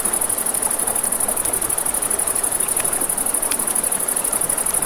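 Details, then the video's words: Crickets singing at night near a river: a shrill high chorus with a fast, even pulsing beat, set against soft river noise and a few crackles from a fire. "Campfire by the River at Night Ambience | 1 Hour of Crackling Fire, Crickets, Ambient Nature Sounds"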